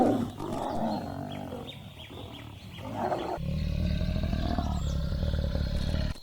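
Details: African savanna lion family crowding around freshly killed warthog prey after a short chase: deep, rumbling low growls and drawn-out roaring moans, a loud sustained bass rumble in the second half, faint higher chirps above.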